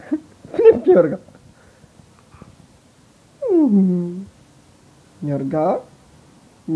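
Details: Yorga, a pet Siberian Husky, giving a morning welcome in bed: a long falling whine, then a rising two-part vocal moan, mixed with a person's speech at the start.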